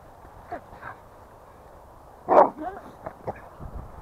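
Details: American Staffordshire Terrier out playing near home, described as sulking and refusing to cooperate; one sharp, loud bark midway, preceded and followed by a few faint short yelps, with a person's voice urging it up.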